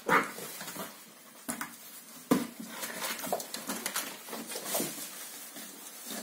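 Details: Kooikerhondje puppies, seven weeks old, indoors in a small room: a short high whine opens the clip, then scattered soft whimpers over tapping paws and clicking rustles.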